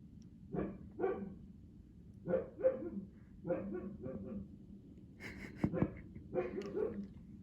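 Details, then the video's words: Rarely heard barking from a young male Siberian Husky: clustered short barks in pairs and threes, ending with a louder, higher burst of yelps and a whimper, over a low background hum. "Juno Barking?? Since when!"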